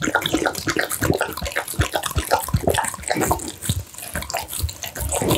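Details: American Bully dog eating steamed pumpkin, minced duck meat, tofu and dried mixed vegetables, recorded close up; wet slurping and smacking in quick irregular bursts, with sloppy licks and chewing clicks throughout.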